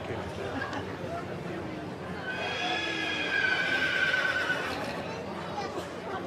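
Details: Yearling Welsh Cob type colt gives a high, drawn-out whinny lasting about two and a half seconds, steady in pitch with a slight waver, over a constant background of crowd chatter and voices.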